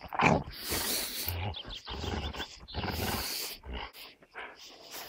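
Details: Two dogs, an American Staffordshire terrier named Gerundio and a beagle named Baloo, locked in a tug over a fabric toy: rough, noisy growls and snorts in broken bursts through clenched teeth.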